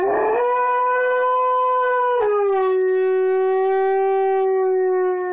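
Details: An Alaskan Malamute named Blade howls along with a wolf chorus playing on TV: a loud, sustained, clear tone that holds steady, breaks briefly near two seconds, then resumes slightly lower and smooth.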